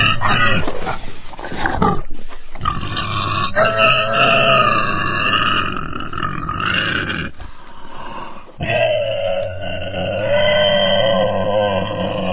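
Loud, wavering squeals from a pig rise and fall in long bursts over a rough, low grunting undertone. The cries come in a few sustained stretches separated by short silent breaks.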